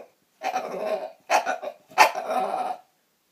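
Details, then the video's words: Dinosaur-like noises from Roxy, a female bulldog, made on her own accord: three rough, raspy, throaty bursts within three seconds, the first and last drawn out into gravelly groans, in a quiet room. "Bulldog making dinosaur noises"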